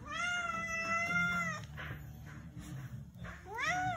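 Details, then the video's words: Very angry house cat Zefir lets out a sustained flat-toned yowl lasting about a second and a half, then a pause with faint rustling, followed by a short rising-then-falling whine at the end; indoors. "Evil Cat Zefir. Very Angry at Me"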